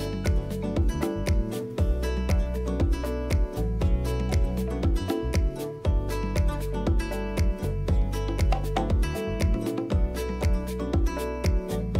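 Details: Upbeat music with a steady driving beat and guitar fills the whole stretch, with no animal voice.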